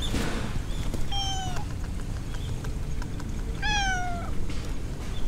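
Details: Walking through a city-centre park, a stray grey tabby cat meows twice, each call long, clear and gently falling in pitch, over a steady low hum of outdoor noise.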